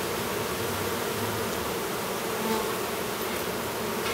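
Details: A new drone honey bee chewing free of his cell in a hive near Duluth, Minnesota; a thick, unbroken buzzing drone of many bees fills the recording, with a slight swell midway.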